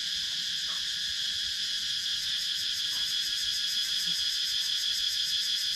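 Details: Cicadas buzzing loudly in the wooded countryside of Sakon Nakhon, Thailand, filmed on a GoPro Hero 9: an unbroken, piercing high-pitched whine that pulses roughly three times each second, with a few faint soft clicks beneath.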